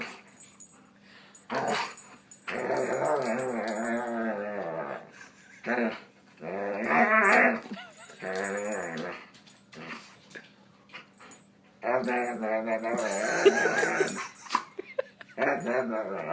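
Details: Dog making strange noises: a run of drawn-out, quavering, moaning howls that rise and fall in pitch, in about six bursts separated by short pauses, with brief clicks in between.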